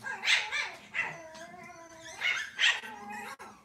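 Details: Cavalier King Charles Spaniel puppies in a kitchen on a cloudy Monday morning give sharp high yips in pairs, separated by a drawn-out steady whine, then a quick closing yelp.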